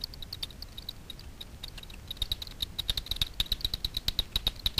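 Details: Daubenton's bats hunting over the surface of Miedwie lake in north-west Poland, heard through a frequency division detector: sparse ticks at first, then quickening into brisk regular clicking trains toward the end.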